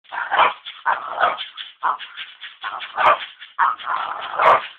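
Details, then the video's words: {'text': 'Excited pet dog barking rapidly in bursts, about seven loud harsh barks and yips packed into under five seconds, each with energy across the mid range, no other sounds.'} "Crazy Dog"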